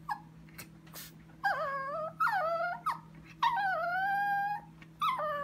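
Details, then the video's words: Sophia, a pet Chihuahua, whining indoors at 2am in the kitchen while fixated on something: a string of four or five wavering, high nasal whines, some short and some stretched, with a constant low electrical hum beneath. "The Mystery of the Whining Chihuahua"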